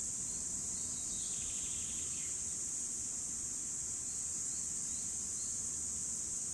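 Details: Steady piercing drone of cicadas recorded in 2017, continuous and even throughout, with brief faint descending bird notes early on over a low outdoor hum.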